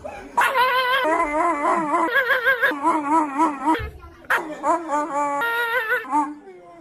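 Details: Siberian husky howling in a long, wavering, yodel-like voice that rises and falls steadily, running unbroken for over three seconds, pausing briefly, then resuming for another two and a half seconds before trailing off.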